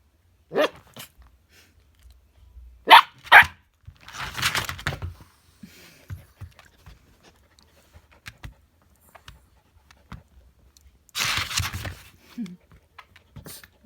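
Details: Husky and chihuahua play-talking: scattered short barks early on, then a longer gruff, breathy vocal burst, soft panting and shuffling in the gaps, and a final harsh, noisy bark-growl near the end.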